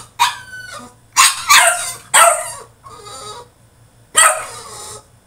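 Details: Caged French Bulldog in a tantrum, giving loud harsh barks and yips in clusters about a second apart, with a quieter whine between them and a low electrical hum throughout.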